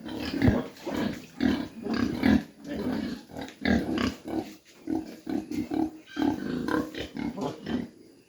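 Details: Low, throaty grunting from mini pigs at a farm in Dimapur, Nagaland, in rapid uneven series of short pulses, with a few brief pauses between bursts.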